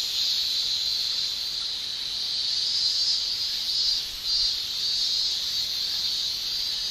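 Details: Male cicadas shrilling in Japanese summer heat, a dense high buzzing produced by the tymbals, steady overall with a brief dip and recovery in loudness near the middle.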